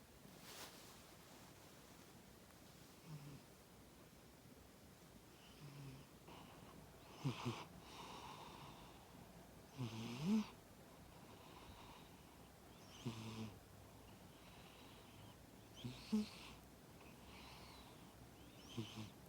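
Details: Sleeping cat snoring, breathy rasping snores repeating roughly every three seconds, each a short broadband rush with a low rumbling core, over a quiet room.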